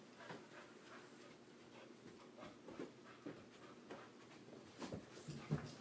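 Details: Hominy, a female puppy at bedtime with a little energy left over from the day, pants in uneven, breathy bursts with soft whimpering edges and occasional louder huffs.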